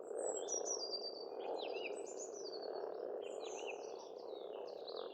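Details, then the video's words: Springtime pond frogs near a farmstead in Estonia keep up an unbroken, dense croaking hum, while several birds add sweet whistled phrases and chirps above it throughout. "Расслабляющее пение птиц и лягушек, весна, природа"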